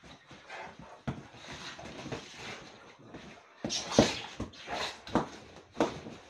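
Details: Rhodesian Ridgebacks rough-housing indoors during rainy weather; rough, breathy growls and snorts with sudden loud bursts, scuffling and thumps in a small room.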